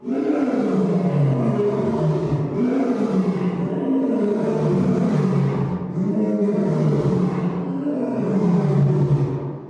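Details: An African lion (Panthera leo) gives several deep, rumbling, drawn-out roars that run one into the next.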